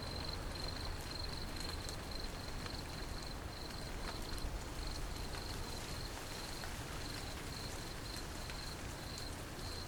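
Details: Grasshopper song: a thin, high buzzing trill made of rapid pulses, breaking into short bursts every fraction of a second. It runs steadily through the whole stretch over heavy low rumbling background noise.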